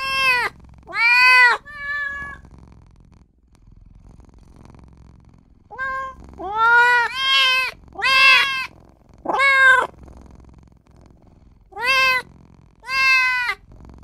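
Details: Small newborn kitten crying for mother and owner; short, sharp bright meows come singly and in quick pairs, with a long pause mid-sequence before a rapid run of four calls.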